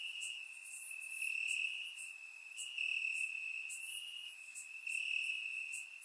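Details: On a warm summer night in Bulgaria, crickets chirp in the grass, caught by a surround microphone; one continuous high ringing trill rises and falls in loudness while brief higher chirps flicker over it.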